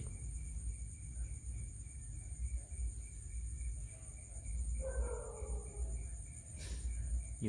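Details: Crickets chirping as a steady high, finely pulsed trill that runs throughout, with a man talking over it, a short falling tone near five seconds and low rumbling background noise.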